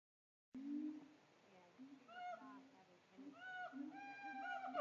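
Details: Captive siamangs at a zoo in Tampa: after a brief silence, low wavering hoots begin, then rising and falling whoops with bright overtones swell and grow denser toward the end.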